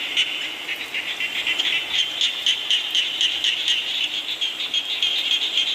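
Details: Frogs call in rainy weather, with quick, bright croaks repeated about four times a second, several nearer notes punching out of the continuous chorus and rain hiss.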